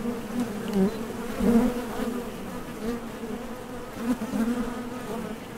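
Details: Honey bee hum from the entrance of a Top Bar Hive, bees landing and leaving on nectar trips; a dense steady drone with short louder buzzes around one and a half and four seconds.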